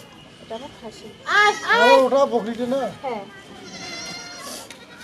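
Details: Goat kid being castrated gives a run of wavering, quavering bleats that rise and fall over about two seconds, mixed with people talking nearby, then fainter cries trail off.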